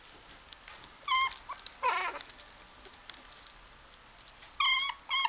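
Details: A Shih Tzu puppy in a pet shop gives short, high whimpering yips, with a brief harsher yelp between them; Shih Tzu.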